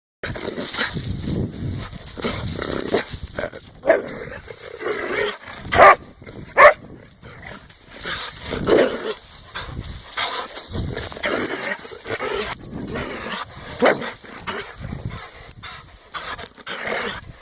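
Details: Pet dog in a mock play attack, lunging at its owner's hand; rough, noisy growls and snorts in uneven bursts, with two sharper yelps near the middle and handling noise throughout.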